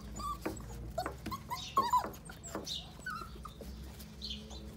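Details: Six-week-old Pitbull cross Jack Russell terrier puppies giving a few sparse, thin whimpers and short squeaks with pauses between, over a low steady hum indoors.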